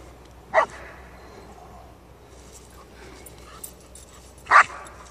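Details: An eight-month-old female German Shepherd during obedience training in Charlottesville, Central Virginia, gives two short, sharp barks about four seconds apart, with a quiet room between and a trainer's voice nearby.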